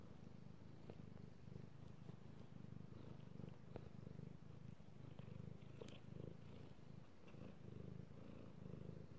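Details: Purring male pet cat being petted, recorded 3/16/18; loud low rumble in steady breathing pulses, scattered soft scratching and rubbing sounds from the petting hand.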